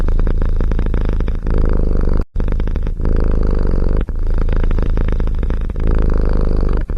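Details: Cat or kitten purring steadily, a dense low rumble with rapid regular pulses throughout, broken by one brief silent gap, no other sounds.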